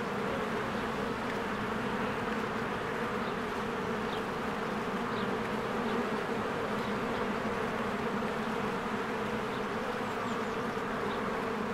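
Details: At a beehive in spring, swarms of bees work diligently. A continuous, humming drone of countless wings fills the clip, with faint, scattered high chirps, possibly birds, drifting above.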